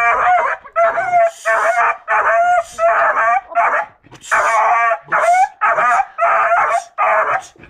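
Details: Seven-month-old beagle Rambo bays in a string of loud, drawn-out harmonic barks, some ending in a level tone, separated by brief pauses.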